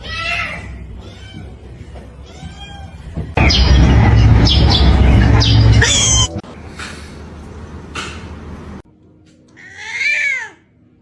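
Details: Domestic cat in a funny-cats compilation: three short arched meows in the first few seconds, a burst of loud broadband clatter, then one clear, drawn-out harmonic meow near the end.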